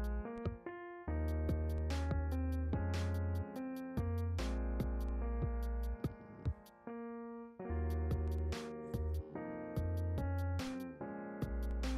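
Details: Keyboard music with piano and synthesizer tones over a steady low bass and drum-machine beat, with short pauses; no animal sounds are heard.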